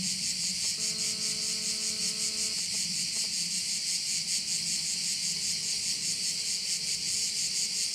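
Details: Insect chorus of crickets over a bay on Korčula, a bright shrill buzz pulsing in quick regular throbs, joined for about two seconds by a flat low humming tone with overtones, then continuing alone.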